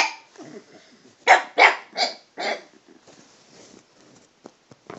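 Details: Toby, a talkative pet dog addressing the cat, gives a low grumble followed by four rising, harmonic barks in quick succession, then trailing soft murmurs and a few faint clicks.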